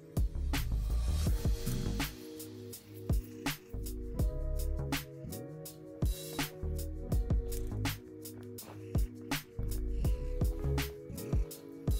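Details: Rhythmic music with strong low bass notes, sharp percussive hits and sustained tones throughout, and no animal sound standing out.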